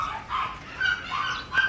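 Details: Pomeranian during an outdoor photo shoot at Parkhomes in Muntinlupa, Philippines; short, sharp, high yappy barks come in quick bursts, about four within under two seconds, with no other clear sounds behind them.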